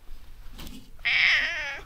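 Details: Stray cat calling near its sleeping place while a motorbike is washed close by; a single loud, bright meow lasting under a second, slightly falling at the end, after a stretch of quiet background noise.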